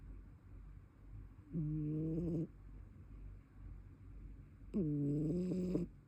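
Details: Brown tabby cat snoring in its sleep: two nasal, slightly wavering drones near a second long, three seconds apart, the second ending in a faint rattle, in a quiet indoor room.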